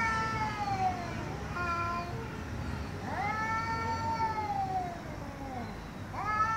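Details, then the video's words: Angry domestic cat giving long drawn meows, each a rich harmonic wail that rises then slowly falls, three calls spaced about two seconds apart over a low background rumble. "MAULLIDOS de GATOS ENOJADOS 😾🔊 ¡Gatos Maullando Fuerte!"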